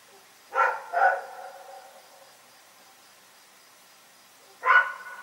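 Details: Rex, a dog, barking at night: a quick pair of sharp barks near the start, then a single bark after a pause of about three and a half seconds, over a quiet background.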